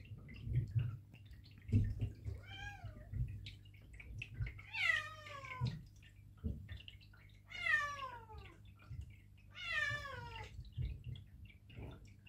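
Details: Repeated plaintive meows from two 8-month-old Perdoll kittens travelling to the vet for neutering, bewildered by the trip; four long, falling, harmonic-rich meows spaced a few seconds apart over low rumbling car noise and soft thumps.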